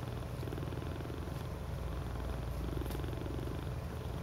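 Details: Steady, low, fluttering purring from cats snuggled together in a cuddle puddle, the throbbing rhythm unbroken across the whole stretch.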